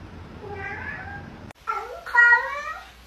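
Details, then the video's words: Talking cat indoors giving a faint drawn-out meow, then after a short pause two louder, clear, rising-and-falling meows, with a person speaking to it nearby. "Funny Talking Cats"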